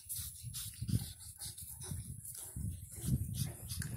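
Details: Nine-week-old Pug puppies playing in Cheyenne, Wyoming, make low, snuffling grunts and snorts in short bursts.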